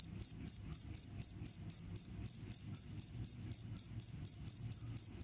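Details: Cricket producing crisp, high chirps in a fast, very regular beat of about four per second, each pulse brief and of equal strength.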